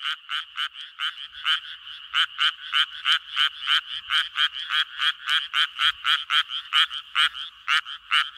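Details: Mating call of a Japanese tree frog, a fast run of harsh, nasal pulsed croaks repeated several times a second, slightly uneven in timing and loudness, against an otherwise quiet background.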